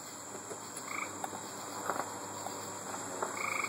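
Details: On August 3, 2012, by Route 25A in Wading River, gray treefrogs call from the roadside with short, musical pulsed trills over a steady high insect drone.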